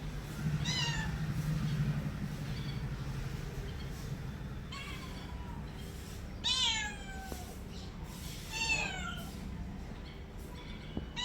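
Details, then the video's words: Domestic cat meowing several times, short downward-sliding harmonic calls spaced a couple of seconds apart, over a steady low rumbling hum. "my cat original sound and reaction"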